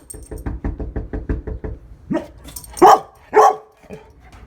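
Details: One-year-old female Labrador Retriever named Lola, a pet at home, barking: a fast run of about ten short clipped barks, then three louder, harsher barks spaced under a second apart, with a quieter yip at the end.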